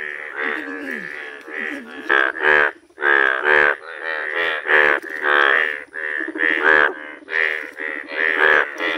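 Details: Rare yellow Indian bullfrogs (mendhak) calling: dense, overlapping harmonic croaks in rapid bursts, with several callers blending into a continuous, pulsing chorus and almost no pauses.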